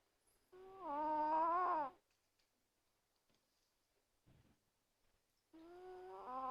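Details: A sleeping Chihuahua named Azuki snores very loudly: a wheezy, tonal, nasal snore rising in pitch for about a second and a half, then a quiet gap before the next snore begins about five seconds later, in a quiet room.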